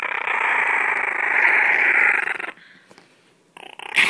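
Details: Indoor Chihuahua growls while hiding under a shirt with his bone: a loud, steady, raspy growl for two and a half seconds, a brief quiet gap, then the growl starts again at the end.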